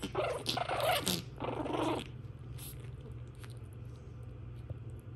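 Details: Shih Tzu puppies playing wildly together, a burst of rough growling and scuffling for about two seconds, then quieter rustling with faint squeaks.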